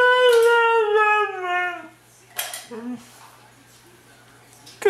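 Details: Mishka, a Siberian Husky, talking as a morning greeting indoors: a drawn-out, whining howl about two seconds long that slides gradually downward, followed by a few short soft yips, while a person cheerfully says good morning.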